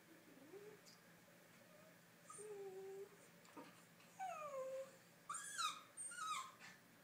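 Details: Theo, a 4-month-old miniature Schnauzer puppy, discovering a new puppy: soft, thin whimpers that rise and fall, a few short wavering whines, then brighter, higher whining yelps near the end, in an otherwise quiet room.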